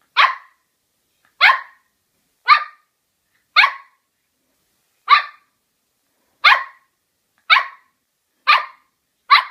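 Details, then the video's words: Single sharp barks from a poodle, spaced about one second apart with a steady, even rhythm, nine in all. The background is silent. "OUÇA O SOM DO CACHORRO POODLE LATINDO"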